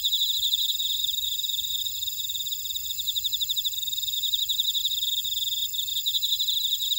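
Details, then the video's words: Jeju buckwheat field insects at Orado, Jeju City, South Korea, producing a loud, even wall of shrill pulsed chirps, one ticking trill standing out above a constant high hiss of other callers. "제주 메밀밭의 풀벌레 소리"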